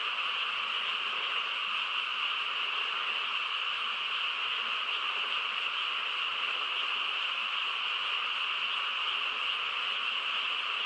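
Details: Countryside frogs in full night chorus under quiet conditions, a seamless humming mass of calls with a steady high ringing band. The texture stays level from start to finish.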